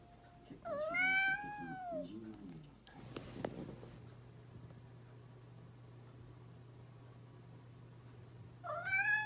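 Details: Mischievous domestic cat meowing indoors: a long, drawn-out meow rising then falling, a burst of clattering knocks midway, then a second meow starting at the end, over a steady low hum.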